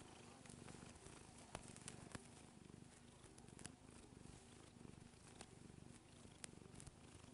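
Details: Nearly nine-year-old female house cat purring while kneading; steady low rumbling purr pulsing rapidly throughout, with scattered soft clicks and taps.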